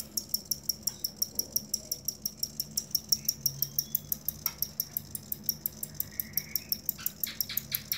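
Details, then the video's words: Cricket sound offered as training material for songbirds kept by bird hobbyists; steady, high-pitched pulsed chirps repeating about five times per second throughout, with a few faint knocks and clicks in the background. "Suara Jangkrik asli"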